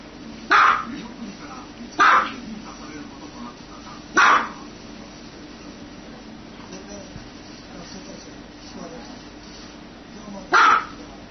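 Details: Dog barking: four sharp, loud barks, three in quick succession during the first four seconds, then a pause and a single final bark near the end, over steady low background noise.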